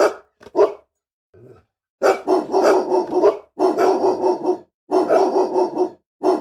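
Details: Aggressive dog barking in harsh, sustained bursts with a gravelly, growling edge, broken by a brief low rumble and short pauses between the volleys.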